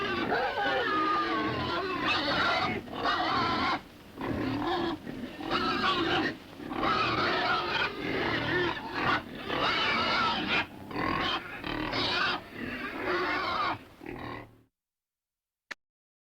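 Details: Pig grunting in a pen: dense, rough, broadband grunts and snuffles in irregular bursts of one to two seconds, separated by brief pauses, continuing for about fourteen seconds before ending in silence.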